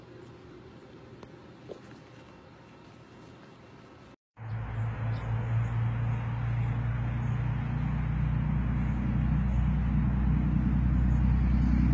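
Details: Quiet outdoor background gives way after a brief gap to a steady, loud low engine rumble from a vehicle; no animal voice.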